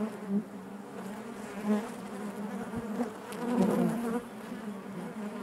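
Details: Steady drone of honey bees inside their hive, a low buzzing hum with layered overtones, intensifying near the end as bees move close, with faint rustling underneath.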